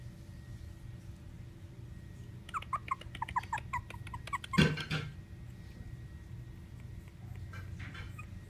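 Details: Thin, high squeaking whimpers come in a quick run of about a dozen from Rocky, a male black and tan Chihuahua pup aged four weeks, then a dull thump and a low household hum.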